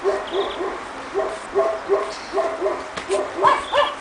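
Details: Two-and-a-half-month-old Pekingese puppies from Tallinn, Estonia, exploring snow outdoors for the first time, yap steadily in rapid, fairly even bursts of high-pitched barks, about three per second, with a few sharper squeaks toward the end.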